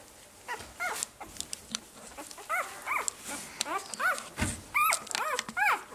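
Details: Five-day-old Saluki puppies in a litter: high, arching whimpers and squeals in uneven bursts, some short and some drawn out, with a faint human voice in the background.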